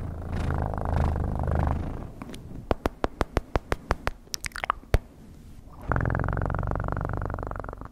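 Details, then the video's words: Close, low rumbling purr from a cat at the start and end, broken in the middle by a run of sharp tapping clicks. "Best PURRING sounds"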